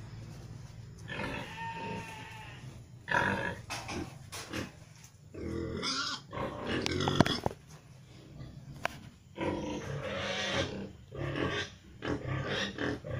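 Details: Three-breed crossbred gilt, Pietrain sire on a Landrace x Large White F1 dam, raised as a future breeding female; irregular harsh grunting and snuffling bursts, some long and noisy, separated by brief quieter gaps.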